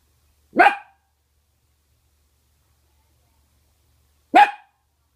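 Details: A female mini red/cream longhaired Dachshund, playing with her rawhide in a quiet room, gives two sharp, single barks about four seconds apart.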